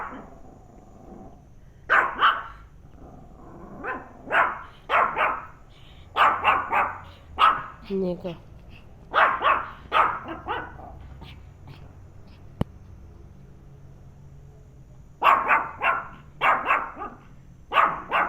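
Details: Penny, a pet dog, reacting to a turtle with bursts of sharp, clipped barks. The barks come in uneven clusters of two to four across the span, with a person talking to the dog in between.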